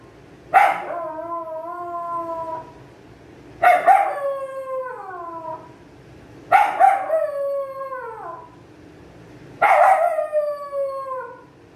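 A Pomeranian gives four high, wavering howls, each starting sharply and sliding downward over about two seconds.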